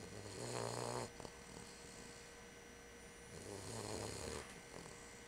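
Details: Dog named Bubba asleep indoors, giving two deep, throaty snores about three seconds apart, each a low rattling drone with quiet breathing between, against a constant electrical hum.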